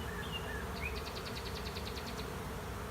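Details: Honey bee swarm moving into an empty hive at the end of a driveway, bees fanning: a steady low droning hum throughout, with a bird's rapid high trill of about a dozen notes and a few brief chirps over it.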